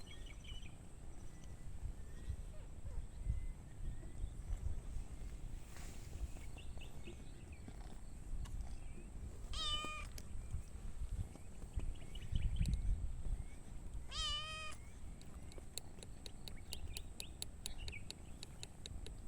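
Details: Cats and kittens playing outdoors, two cats and two kittens; two short, thin, clear meows several seconds apart over low outdoor rumble and faint rustling.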